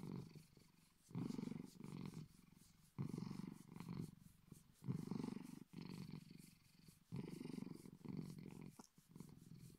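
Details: Bedford, a Bengal cat, purring deeply like a big cat; loud low rumbles swell and fade in long cycles of about two seconds, separated by short pauses.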